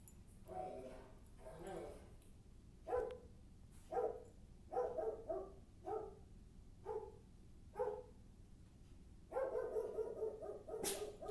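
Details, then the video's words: Maggie the dog barks in quick bursts, around a dozen short yaps, some in pairs, over about eleven seconds, ending in a longer run of barking; faint speech in the background. "Maggie barking sounds"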